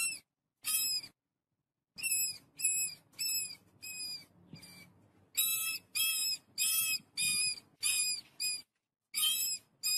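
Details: A family of rats eating wheat gives quick, high, thin squeaks in short bursts, several in a row with brief pauses.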